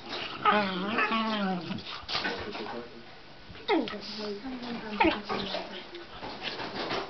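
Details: Lottie, a four-month-old Old English Sheepdog puppy, gives a wavering, whiny vocalisation, then two sharp downward-sliding yelps a little over a second apart, with a person talking nearby.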